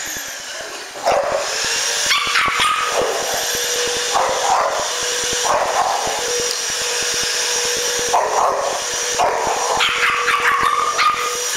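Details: Pet dog barking at a running vacuum cleaner, sharp barks repeated roughly every one to two seconds over a steady machine hum, with a brief whine between bursts.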